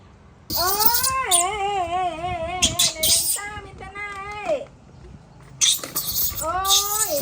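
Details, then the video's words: Baby monkey throwing a tantrum as its mother leaves: long, drawn-out tonal wails that bend and waver, repeated several times with short harsh screeching bursts between them, and a person talking nearby. "Adorable Baby Monkey Tantrum When Mom Leaving"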